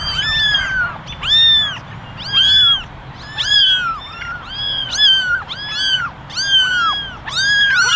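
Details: Eleven ginger kittens, ten ginger and one white, meowing for attention in a basket; high arched mews with rich harmonics overlap in quick succession, several voices calling at once with short gaps between bursts.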